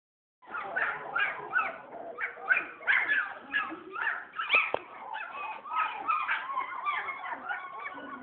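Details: German Shepherd puppies born December 27, 2010, giving a steady run of high, squealing whimpers and yips roughly every third of a second, several voices overlapping, with no other clear sounds.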